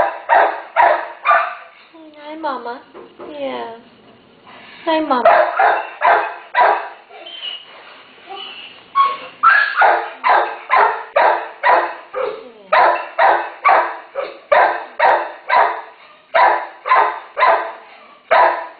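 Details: Terrier mother with day-old puppies barking in quick repeated bursts, about two per second, with a few whining, wavering tones early on and a person's voice murmuring between barks.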